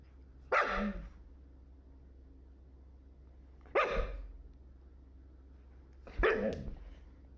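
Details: Siberian Husky giving three short, harsh barks, spaced about three seconds apart, with quiet gaps between them.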